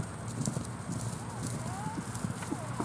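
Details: Frisky pasture horses gallop in cool morning air around 8 o'clock under thin clouds in a west pasture in southwest Florida, 22 October 2017. Soft, rapid, low thuds of hooves come through steady outdoor hiss, with faint whistled bird notes.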